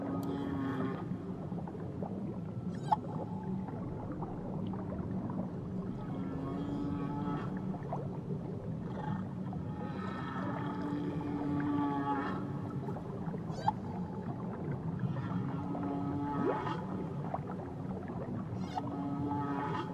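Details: Whale song near Tahiti: drawn-out moans and wavering tones, some rising and falling, over a deep underwater rumble.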